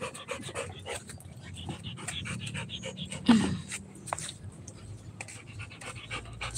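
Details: Rottweiler puppy at playing time, panting in quick rhythmic breaths throughout, with a person talking over it and a sharp knock near the middle.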